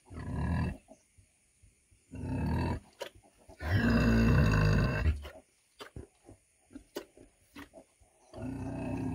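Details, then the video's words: Heavy 100 kg female pig grunting, with rough low calls of one to two seconds each, one drawn out and louder, separated by scattered clicks and knocking sounds. "PIG SOUND"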